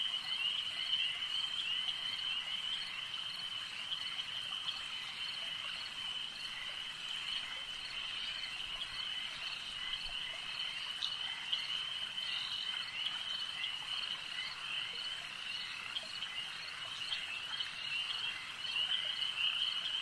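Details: Frogs at a lake form a steady, thick wall of shrill trilling at a constant pitch, with irregular clicks and pulses layered over it throughout.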